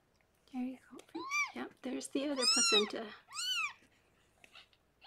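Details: Rescued pregnant foster cat Harlequin, saved by a veterinarian, giving birth to six kittens indoors; high, arching squeaky mews rise and fall in quick succession, overlapping a low human voice speaking softly, then quiet.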